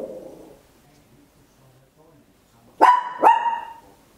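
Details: ['Papillon, a tiny dog barking loud at home, stereo recording on an Olympus LS-11; faint low murmur at first, then after nearly three seconds of quiet come two sharp barks in quick succession.']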